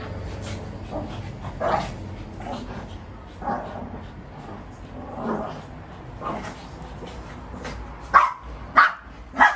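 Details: Shih Tzus barking while fighting give sharp, high barks in scattered bursts, louder toward the end.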